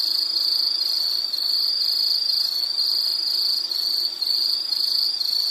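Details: Insect calling with a steady, high-pitched pulsing trill, rapid chirps running together without pause, no other sounds standing out.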